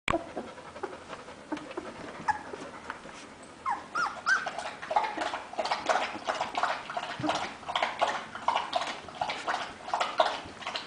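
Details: Labrador Retriever puppies, 17 days old, just starting to stand on all four legs; thin, high whines and squeaks come in irregular bursts over shuffling and rustling, growing busier and louder in the second half.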